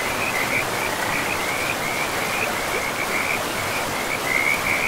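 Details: Beside a forest river, frogs keep up a continuous high, rattling trill that wavers slightly in pitch, set against a steady hiss of flowing water.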